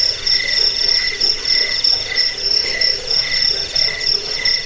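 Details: Jangkik crickets, a recording used against rats and for training songbirds: bright, high chirps repeat about one and a half times a second in a rhythmic pattern, backed by a softer, continuous lower trill.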